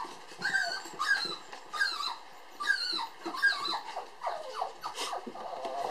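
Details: Playful pair of toy poodle sister puppies born July 9. Repeated high squealing yips and whines, roughly every half second, with bent, falling pitch and faint growly undertones, indoors.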